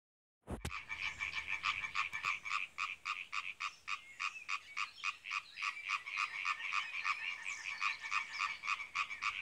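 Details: Male European tree frogs (Hyla arborea) croak in a pond at Trelde Næs, Denmark: a fast run of harsh, nasal croaks, about three or four per second.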